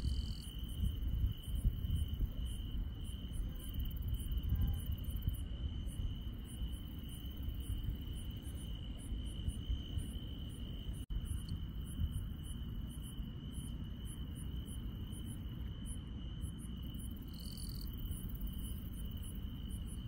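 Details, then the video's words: Countryside insects at night give a sustained high-pitched trill without pause, with brief higher chirps scattered through, over a heavy low rumble and a short click near the middle. "시골 밤의 정겨운 풀벌레 소리"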